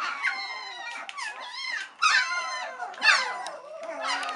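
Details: Whimpering from a White Swiss Shepherd litter aged three weeks, impatient for their mum Cova to return and nurse them. Long, wavering, sliding whines overlap indoors, with sharp rising cries at about two and three seconds.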